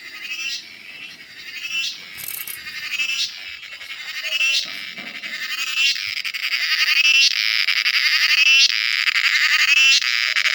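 A cicada's shrill, buzzy drone pulses in quick waves and swells steadily louder.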